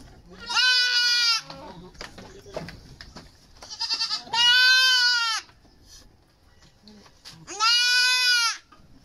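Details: Goat being dewormed before weaning, at about three to four months of age: three loud, long, nasal bleats, each about a second, spaced roughly three and a half seconds apart, with faint voices and handling noises between them.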